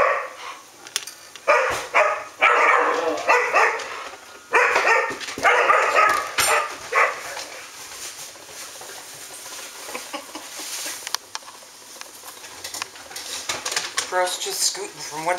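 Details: Standard poodles, a pack including Pearl, filmed on 13 August 2014, bark and yip in rough bursts between about two and seven seconds. Quieter scattered sounds and a woman's voice follow.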